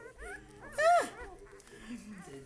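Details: Lhasa Apso puppies: one sharp, loud yelp that slides steeply downward, with voices talking indoors before and after it.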